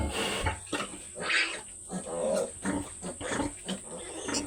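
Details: Sow, one of two mother pigs: rough grunts and brief higher squeals in irregular bursts roughly once a second, over a steady high-pitched hum and faint background noise.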